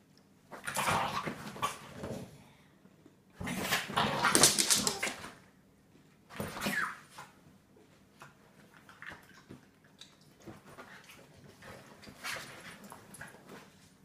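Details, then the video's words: Staffordshire Bull Terrier playing with a French bulldog, giving loud rough growling, whining bursts lasting one to two seconds, followed by softer scattered whimpers and snuffles. "Staffordshire Bull terrier play"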